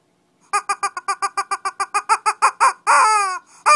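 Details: Shih Tzu play-fighting in Kochi, Japan: a fast string of about fifteen sharp, high yapping barks that grow louder and quicker, ending in a drawn-out yelp and one last bark.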